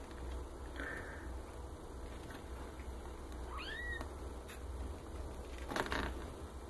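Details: Newborn Maine Coon kittens, from a litter of ten born 29–30 March in black and grey marble, tortoiseshell and agouti colours, give thin, high mews that arc upward, one near the start and a clearer pair midway, over steady low room hum.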